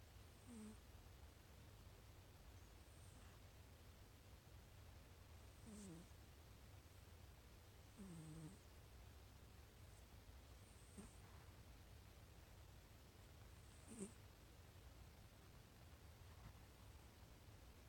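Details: Sleeping cat snoring: soft, wheezy snores with a faint tonal edge, spaced irregularly a few seconds apart, heard over a steady low room hum.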